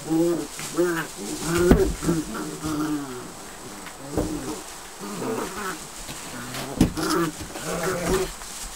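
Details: Border Collie puppies almost eight weeks old, together in a kennel on their last night before going to new homes, playing in fresh straw in the whelping box. Steady overlapping whines and yelps repeat throughout, some rising and falling.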